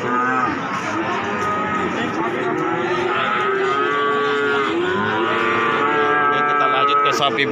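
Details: Young cattle crowded at the Pati Wage market give long, bending moos, several animals calling over each other in a continuous chorus, each call sliding up and then dropping, with busy background noise.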